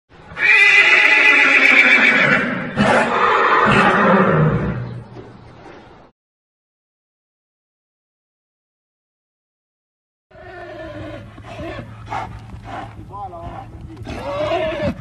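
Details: Arabian horse stallion neighing: a loud, harmonic whinny that wavers and falls over about six seconds, followed by silence, then quieter broken neighs and snorting bursts toward the end.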